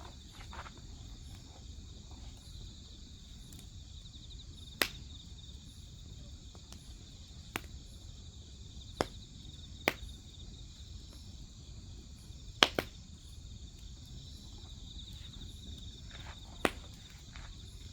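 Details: Grass insects chirp in a steady, high, continuous shimmer beside a wood fire, with sharp crackles and pops from the burning logs at irregular moments and a soft low rumble underneath.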